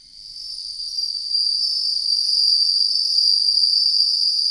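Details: Suzumushi, the bell cricket, fading in and then ringing loud and steady in a high, bright, finely pulsed trill that continues without a break.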